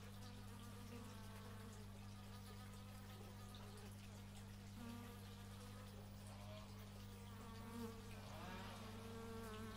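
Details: Bees in the open, recorded in stereo with an x/y microphone: wavering buzzy flight tones rise and fall as insects pass close, over a steady low mechanical hum throughout.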